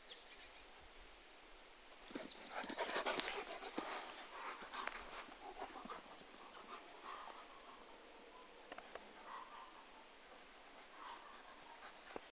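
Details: Komondor dogs whining and panting, loudest in the opening seconds, then quieter intermittent whimpers over steady background hiss.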